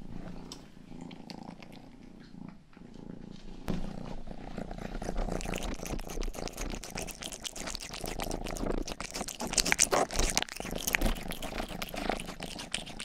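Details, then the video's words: Rangi, the youngest pet cat of the household, purring indoors while grooming the ears of a binaural microphone; a low steady rumble underlies dense wet licking clicks and rustles that grow louder and busier after the first few seconds. "ASMR 하는 고양이!(Purring & ear licking sound)"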